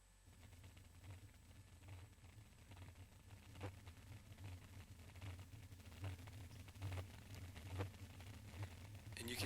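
A blue whale's A call: a very low, deep rumble broken into steady, metronome-like pulses.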